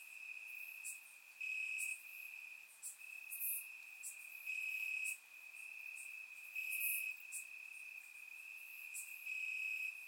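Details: Night chorus of crickets in the grass in Bulgaria on a warm summer night, surround-recorded; a continuous thin high trill underlies sharper, louder chirp bursts that swell and fade irregularly every couple of seconds.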